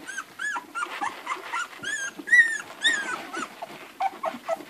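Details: Hungry Irish Red and White Setter puppies, a litter of eleven, nursing and squealing: quick, arched whimpers tumbling roughly twice a second, some sliding upward, others short and clipped, over a faint rustling background.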